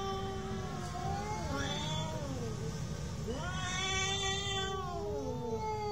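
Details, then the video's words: Real cat fight: long, drawn-out wavering yowls with rich overtones, sliding slowly down, then a sharp rising howl that swells louder and strained before sagging again, over a constant low background rumble. "real cat fight with sound"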